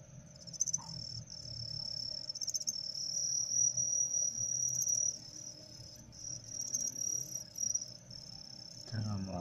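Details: A cricket gives a high, shrill, nearly continuous trill broken by a few short pauses; males are being trained to chirp sooner, with a female placed among them.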